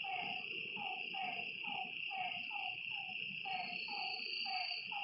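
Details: Repeated short, down-slurred frog calls at a lake at night, spaced about half a second apart, layered over a bright, unbroken chorus of insects.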